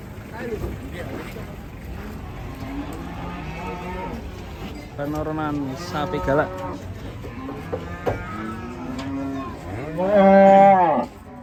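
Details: Enraged Indonesian cattle giving a series of moos, short and moderate at first, building to one loud, strongly harmonic bellow near the end, with faint voices in the background.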